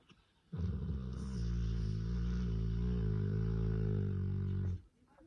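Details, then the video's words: Cane Corso, one of the grey dogs Taira and Tessa, snoring while asleep: one long, even, deep snore lasting about four seconds, rich in low humming tones, in a quiet indoor room. "Как спят ваши корсики)"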